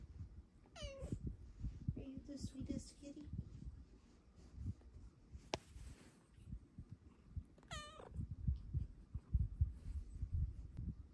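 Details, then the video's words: Female house cat cuddling in the morning makes two sharp, high chirping trills with rapid stepped notes, plus a softer murmur between them, while a woman coos sweetly over rustling sounds. "BEST kitty noises you’ve EVER heard!"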